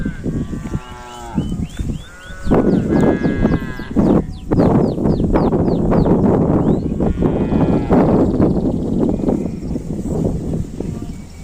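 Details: Cows, described as odd-sounding cattle, give a series of short harmonic lowing calls in the first seconds, then a dense din of overlapping animal noise with rapid high chirping arcs and background music.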